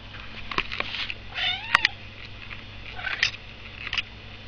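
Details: Domestic cat named Sooty meowing indoors at feeding time: a clear harmonic meow rising then falling near the middle, with shorter fainter mews before and after, plus a woman talking to it and household clatter.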